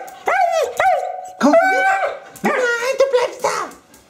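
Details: Eurasier dog Lili vocalizes indoors, screaming and talking to be taken for a walk; short arched yelps followed by longer sustained wavering cries, bright harmonic stacks, in a small room.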